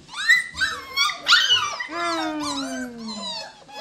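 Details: Seven-week-old Cockapoo puppies, cocker spaniel and miniature poodle cross, whining in high wavering cries, then one long whimper gliding slowly downward, with a person's voice faintly in the background.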